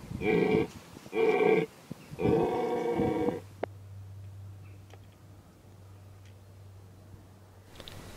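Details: Rutting red deer stag at Tatton Park, Cheshire, roaring to defend his harem against competing stags: three harsh, harmonic bellows in quick succession over about three seconds, then quiet with a low steady hum.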